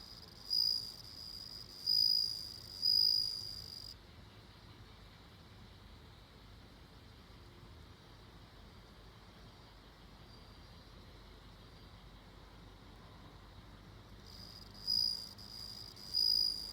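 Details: Bell cricket calling: three clear, high, ringing trills about a second apart, a long quiet stretch of faint background hiss, then two more ringing trills near the end.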